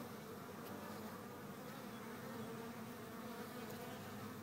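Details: Honey bees in a hive, recorded April 11, 2013: a dense, steady hum of many wings with bands around 200 to 500, continuous and unbroken throughout.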